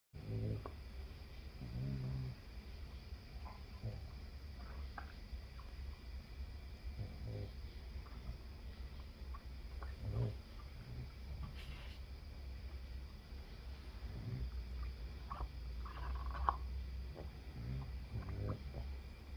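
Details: Several of seven Boston Terriers snoring while sleeping together at night before breakfast: low rumbling breaths with snorts and sniffs.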